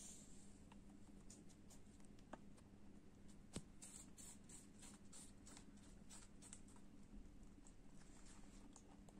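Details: A pet lop rabbit chews apple, making irregular crisp clicks, crackles and soft crunches in quick bursts over a low, steady indoor hum.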